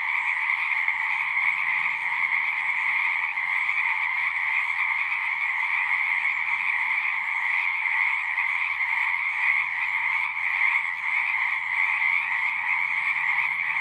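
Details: Frogs singing in a dense, unbroken chorus: a steady shimmering trill in two layers, one mid-pitched and one higher and brighter, holding an even loudness throughout with no pauses and no other clear sounds.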